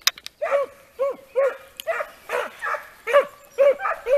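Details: Segugio Italiano hounds working a hare during training in Italy, a pack giving tongue: rapid chain of ringing, slightly rising-falling bays about twice a second, several voices overlapping, with a few sharper yelps.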